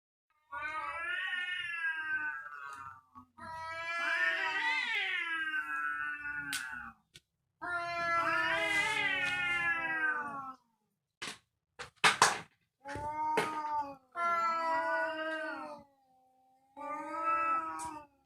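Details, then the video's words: Domestic cats fighting, giving long wavering caterwauls with rich stacked harmonics, rising and falling in drawn-out wails of two to three seconds, broken by short sharp bursts and hisses; calls follow one another almost without pause. "SUARA KUCING GARANG BERANTEM"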